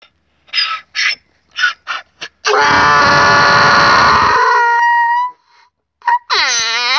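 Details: Donkey named Keravnos braying at Zarkadia, Kavala, Greece: short wheezy inhaled gasps building up, then a long loud harsh blast with rich harmonics sliding down, followed by more gasps and another loud swooping honk.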